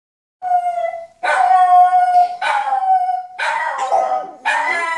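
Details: A French Bulldog trying to howl like another dog gives strained, wavering howls, sustained notes that break into rough, raspy bursts.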